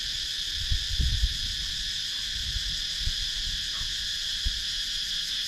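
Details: In Sakon Nakhon, Thailand's wooded countryside, cicadas keep up a constant shrill buzzing chorus on a GoPro Hero 9 recording, while dull low knocks and bumps, likely handling, sound now and then.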